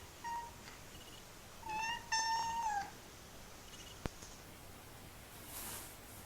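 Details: Pet male kitten indoors producing strange funny noises: a short chirp, then a drawn-out steady harmonic meow that falls at its end, followed by a sharp click and soft rustling.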